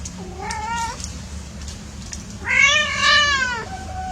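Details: Domestic cats at play give two meows: a short rising-falling one, then after a pause a longer, louder, harmonic-rich wail that bends up and slowly down. Low steady background hum throughout.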